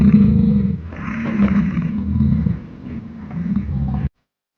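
A bison gives a deep, rough bellowing roar lasting about four seconds, rumbling low and swelling twice before cutting off.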